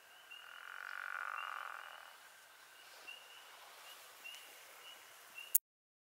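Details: A pickerel frog (Lithobates palustris) calls with a low, rattling snore lasting under two seconds, over a faint steady background hum.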